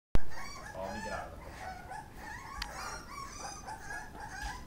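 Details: Pit Bull puppies eating, giving thin, high whimpering squeals with rich overtones, several overlapping and wavering in pitch, after a sharp knock at the start, over a steady hiss.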